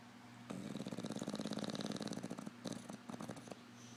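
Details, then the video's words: Five-year-old English Bulldog asleep indoors while its owner gets ready for work: a rattling, rapidly pulsed snore for about two seconds, then shorter snoring bursts over a steady low hum. "English bulldog snoring"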